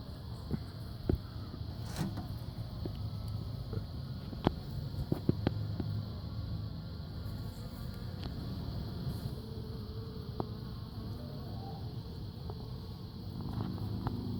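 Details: Swarm of honey bees moving back into a previously abandoned hive, May 3, 2016: continuous deep humming drone that swells slightly at times, with scattered sharp clicks and taps over the buzz.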